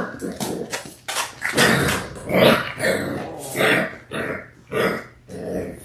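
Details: Six-week-old Labrador Retriever puppies, six siblings born January 18, 2022, on a February 28 live stream. Loud throaty growls and gruff barks come in pulses about once a second, rising and falling in strength.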